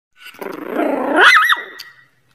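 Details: Dog giving an angry vocal outburst: a rough, rising growl builds over about a second, then breaks into a sharp, higher-pitched bark-like yelp before cutting off, in a small indoor space.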